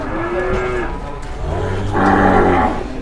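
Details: Newly arrived jumbo cattle, one of two large animals led out of the pen for the first time in Indonesia: a short mid-pitched moo, then a deep, sustained droning low lasting about a second, over background shuffling noise.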